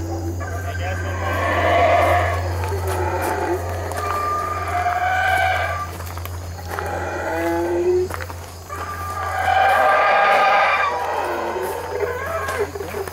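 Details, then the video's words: Howler monkeys in the treetops of Belize giving loud, boisterous roaring calls: three long, rough, droning bouts that swell and fade over several seconds each, with a steady low hum and insect buzz underneath. "The Call of The Howler Monkey"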